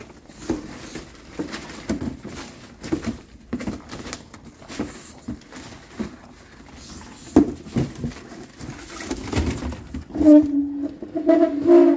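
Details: Baby bulldog throwing a teething tantrum indoors, giving scattered soft grumbles and snuffles that build into louder, drawn-out whining moans toward the end, with pattering movement noises throughout.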